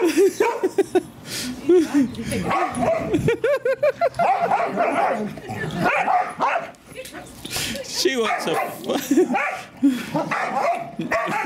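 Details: Daisy, an English Springer Spaniel, tries to get her son and daughter to play with her, giving a run of high, wavering yelps and whines in quick bursts while people talk over her.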